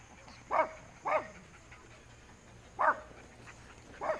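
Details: Dog barking while fence racing, four sharp harmonic barks spaced irregularly about half a second to two seconds apart, with a faint steady high hum in the background.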